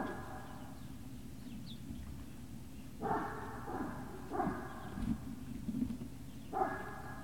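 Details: Great Dane puppies at Puppy Hill, 18 November 2018, afternoon: a cluster of harmonic yelping barks, several in quick succession and then another after a gap, set against a constant low droning background.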